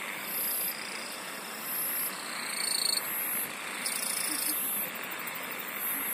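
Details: Chorus of singing insects with high, sizzling bursts repeating roughly every second and a half, layered over continuous shrill trills and a broad hiss of many more distant callers.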